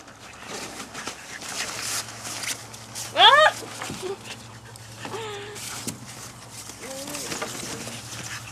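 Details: Playful French Bulldog puppies, five and a half weeks old, outside: one sharp, loud, high yelp near the middle, then softer wavering whines, with speech and a steady background hum.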